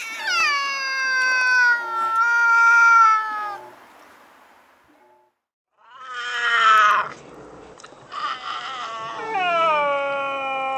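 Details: Stray cats squaring off in one of their nightly fights by a house, recorded with a Nikon Coolpix S01. Drawn-out wailing yowls sound, then a short pause, then rougher, more strained cries and a final sustained howl.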